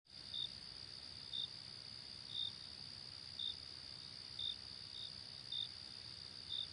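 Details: A cricket chirping at night gives short, high chirps about once a second over a steady insect drone.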